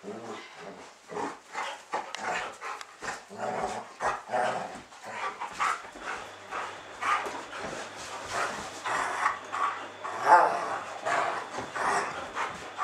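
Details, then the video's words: Two schnauzers, friends Bodie and Eric, romping together to let off steam. Over about thirteen seconds, a steady stream of short scuffling huffs, pants and rough growly bursts comes in quick, uneven succession, with a faint low hum underneath. "schnauzer play rumpus !"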